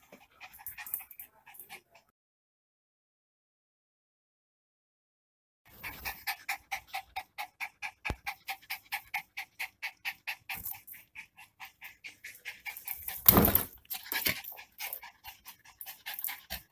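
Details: Miniature Pinscher named Lilo, a naughty pet dog that has torn clothes and messed up the house: after a silent stretch, rapid rhythmic breathy pulses, about three per second, run steadily with a louder broadband rustle midway.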